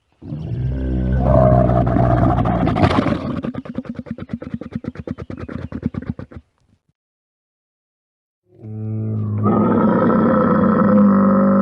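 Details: Wild Bactrian camel letting out a loud, rough roar that breaks into a fast rattling gurgle of rapid pulses, falls silent for two seconds, then resumes as a sustained, deep, droning bellow.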